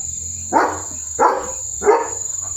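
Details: German Shepherd named Leo reacting with barks as a tractor moves in front of the house; three loud, rough barks roughly two-thirds of a second apart, with a constant shrill insect whine and low engine-like hum beneath.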